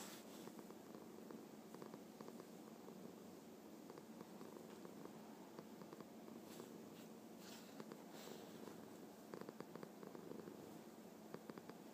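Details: Contented domestic cat giving a happy purr, a continuous low, throaty rumble pulsing rapidly and evenly for the whole stretch, with faint clicks and soft rustles over it in a quiet room.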